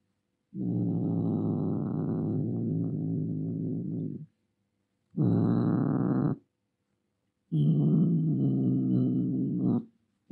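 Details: Domestic cat in an angry mood producing three long, harsh, low growls of several seconds each, steady in pitch and loudness, separated by brief silent gaps.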